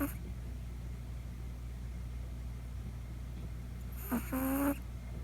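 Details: Poko, a Chihuahua puppy, snoring for the first time while fast asleep in the middle of the night: one short, nasal, tonal snore over a steady low household hum.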